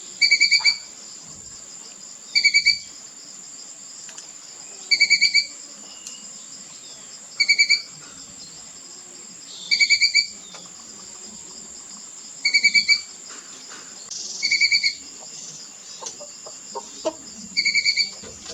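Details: A young squirrel chattering, giving short, sharp, high chirps in brief bursts roughly every two and a half seconds, over a constant shrill insect drone.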